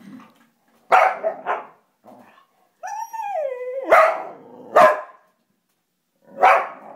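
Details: Excited by paper being added to the printer, Popeye the two-legged dog lets out loud sharp barks, a drawn-out whining yelp that bends downward, then more punchy barks spaced about a second apart indoors.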